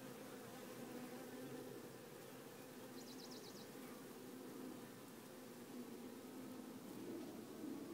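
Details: Honey bees in a small buzzing hive whose swarm was confirmed to be queenless give a steady, low, droning hum.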